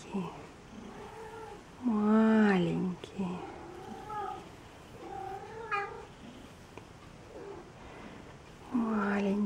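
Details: Newborn Maine Coon kittens at a single-breed cattery in Saint Petersburg, Russia, crying in loud tonal mews that bend up and down, three strong cries near two, five and nine seconds, with soft human talking in between.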